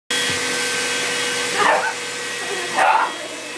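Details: Pet dog barking at a running vacuum cleaner: two short, sharp barks about a second apart over the steady droning hum of the vacuum.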